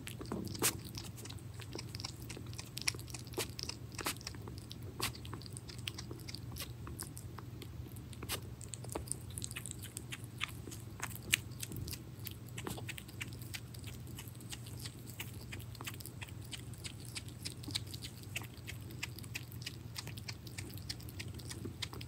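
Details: Pet hedgehog named Pirozhok eating minced meat indoors: dense, irregular smacking and crunching bites, sharp clicks scattered throughout, over a steady low room hum.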